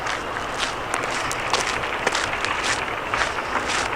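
Steady broadband rustling and crunching, like footsteps on gravel and brush, with no animal calls.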